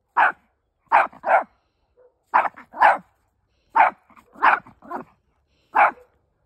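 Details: Chihuahua named Fido barking back at dogs heard on the other side, unafraid: quick yappy barks in bursts of one to three, repeated steadily over six seconds in a quiet room.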